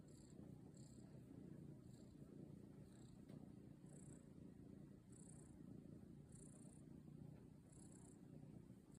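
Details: Kneading in the air, a short-legged Munchkin cat purrs with an even low drone, while light ticking sounds recur every second or so.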